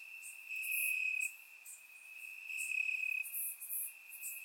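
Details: Crickets chirping in grass on a warm summer night in Bulgaria, recorded with a surround microphone: a steady high trill runs throughout, with brighter pulsed bursts swelling and fading above it.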